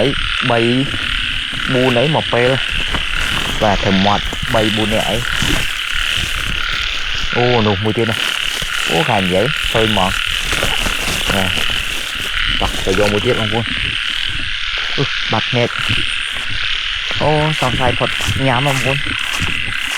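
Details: Frogs in Cambodian rice fields during a frog-hunting walk: repeated bursts of deep croaks with sweeping harmonic arcs every second or two, over a dense continuous high buzzing chorus, with brief human voices.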